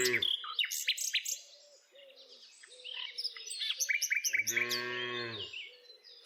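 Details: Village cows herded every day; birds chirp busily over the start, then one steady harmonic moo of about a second rises out of the chatter, with bird calls continuing above and after it.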